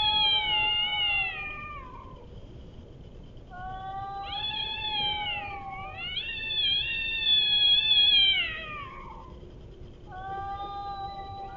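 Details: Cats fighting, giving long wavering yowls with rich harmonics that rise and fall over several seconds, broken by short pauses, then a final drawn-out yowl; steady low background hum.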